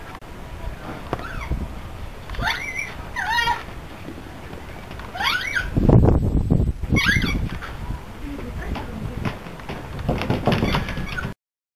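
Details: Red panda Lulu, recently moved and low-spirited, screams while fleeing from Ren, who started a fight, in 2010. Shrill, wavering squeals with bright harmonics come in short bursts across the clip, with a loud rustling scuffle midway and faint voices in the background.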